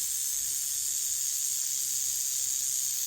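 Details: A speckled rattlesnake rattles: a steady, unbroken high hissing buzz holds at an even loudness for the full three seconds without pause.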